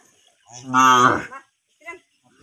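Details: Cow mooing once, a loud, rich, harmonic moo lasting under a second and trailing off slightly, followed by a short, faint grunt, with quiet around it.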